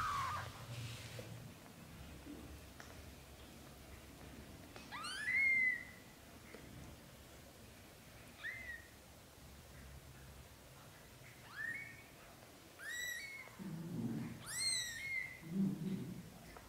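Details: Young British shorthair kittens, a litter of four aged up to 30 days, cry with thin high mews that sweep up then fall, about seven in a row, with soft low rustling and bumps in the background.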